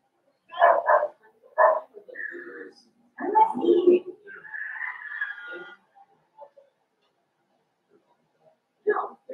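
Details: Five-week-old Cavalier King Charles Spaniel puppies in Daisy's indoor puppy pen give high, wavering whimpers and short yips, with a drawn-out whine in the middle, mixed with human voices talking nearby.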